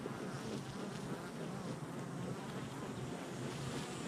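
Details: Honey bees at a hive entrance on July 22nd, 2024, making a dense, steady low hum that holds without pause throughout, with a broad airy hiss layered above the droning buzz.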